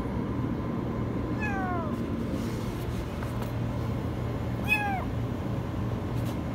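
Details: Kitten stuck in a washing machine, meowing very high: two high, falling meows with rich overtones, spaced about three seconds apart, over a steady low mechanical hum.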